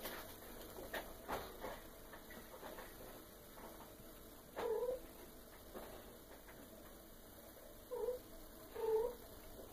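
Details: Female Maine Coon cat, eight months and two weeks old, indoors at feeding time with liver brought for her; three short mid-pitched meows, the last two close together, over a steady background hum.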